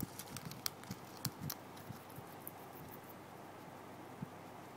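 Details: Pet guinea pig named Bebe munching fresh grass, with sharp, irregular crunches and clicks bunched in the first second and a half, then fainter nibbling and one more crisp bite near the end.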